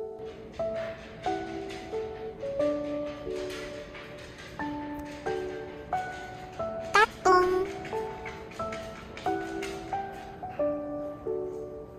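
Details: Plucked, pizzicato-style melody with light percussion taps in a small room, notes repeating in short phrases; no animal sound heard.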